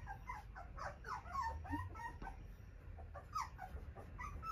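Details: Cockapoo puppy with a yellow-green ribbon, described as friendly, cheerful, lively and gentle, whimpering in high, thin, falling squeaks that come in quick, uneven bursts, while a soft human voice soothes it nearby.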